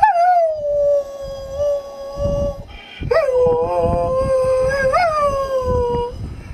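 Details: Kuvasz howling along with its owner during a singing session in April 2011; long, steady, mellow howls that dip then rise in pitch, with a brief pause and a pitch lift near the end, over soft background noise.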